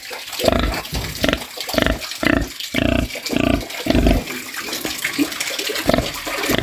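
A pig snores in deep, rasping snorts repeated about every half second to second.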